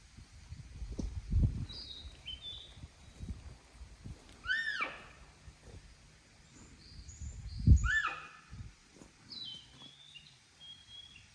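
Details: Wild Honshu sika deer, about five grazing beside a road below a protection forest at Yuya, Nagato, Yamaguchi, Japan, 4 June 2022, unseen; two loud high-pitched whistles, each falling sharply, several seconds apart, with small bird chirps and low rumbling noise.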